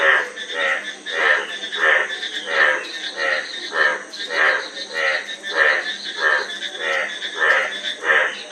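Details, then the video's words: A frog gives rhythmic, raspy croaks, short buzzy bursts spaced evenly about twice every second over a soft steady hiss. "Frog Sound--Frog Sound Effect 15 min"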